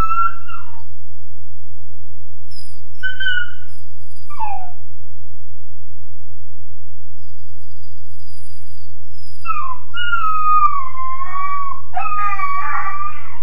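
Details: A 13.5-week-old Weimaraner puppy alone in his kennel howls and whines: several short wavering cries, some falling sharply, in bursts around 0–5 s and 9.5–13 s, with a steady low hum throughout.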